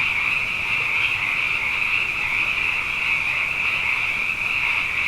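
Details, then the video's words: Abundant frogs calling at night after two wet years in a row, forming a dense, unbroken chorus of high, shimmering trills that hold steady without pause, a continuous wash of overlapping voices. "Frog Songs: Na Mele o nā Paloka"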